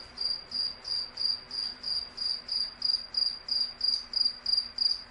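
A cricket chirps steadily, bright high pulses repeating about three times a second.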